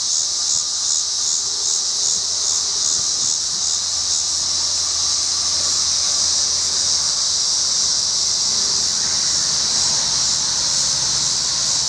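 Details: In windy dusk before a storm, a Tibicen dealbatus cicada calls from a tree at an I-70 rest area near Bennett and Strasburg, Colorado, August 25, 2011, 7:44 p.m.: steady shrill buzzing drone, gently pulsing, with low rumbling wind.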